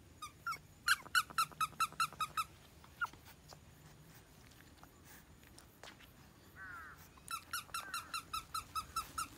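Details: Red French Bulldog puppy indoors, runs of short sharp squeaks repeated rapidly, about two per second, in two bursts separated by a quieter stretch with a brief whine.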